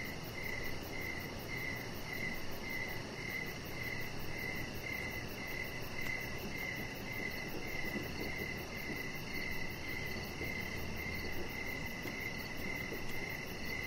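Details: Evening cricket chorus near a deck where a chihuahua puppy rests under decoration lights: bright, high pulsed chirps repeat roughly every half second, steady and unbroken, above a broad low hum of background noise.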